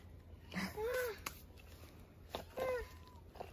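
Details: Kitten stuck up a tree after raiding a bird's nest, meowing while being pecked by a big bird; two short, arched, plaintive meows about two seconds apart over faint rustling background noise.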